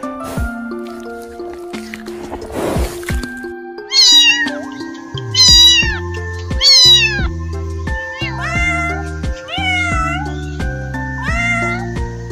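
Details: Cat meowing in a run of loud, high, arching meows, two drawn out near the start and then several shorter rising-falling ones in quick succession, over steady background music with piano-like notes.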